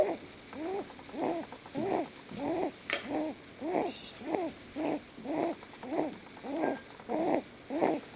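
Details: Leo, a pet lop bunny, dozing contentedly in someone's arms, snores in a steady train of short nasal puffs, roughly one every 0.6 seconds, evenly spaced throughout.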